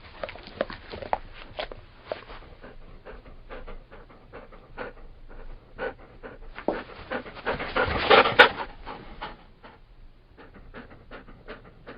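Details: Labrador Retriever panting in rapid, uneven breathy puffs, several each second, with a louder, harsher burst of breathing about two-thirds through before settling back to steady panting.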